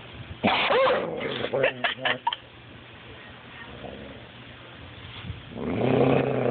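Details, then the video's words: Beanpole the coonhound guards his steak bone: a quick run of sharp, clipped snarls or snaps early on, a quiet stretch, then a deep rumbling growl building at the end. "Beanpole the Coon Hound protecting his bone"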